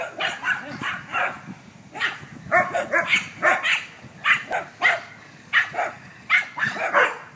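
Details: Dogs playing in a backyard, barking in quick bursts throughout, sharp harmonic barks overlapping in a busy, excited rhythm with no long pauses.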